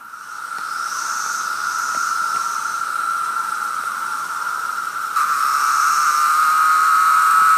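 A continuous cicada drone holds one high, buzzy pitch throughout, growing steadily louder toward the end. Fainter, hissing pulses sit above the main tone, likely from more insects calling nearby.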